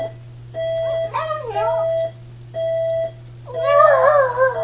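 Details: A Chihuahua howling along with an alarm clock: steady electronic beeps in bursts about a second long, with wavering, rising and falling howls between and over them, louder and more tremulous toward the end.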